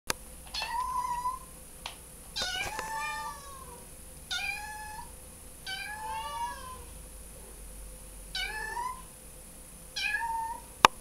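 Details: Kitten in distress, giving a series of loud, high, wavering meows, some falling and some rising then dropping, about six cries in eleven seconds with short pauses between, in a quiet room with a steady faint hum.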